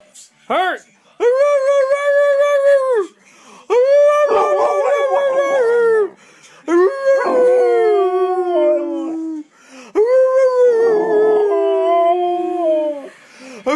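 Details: American Staffordshire Terrier, a playful, protective breed, giving long, steady, tuneful howls lasting two to three seconds each, some sliding downward at the end, with short pauses and faint background voices between them.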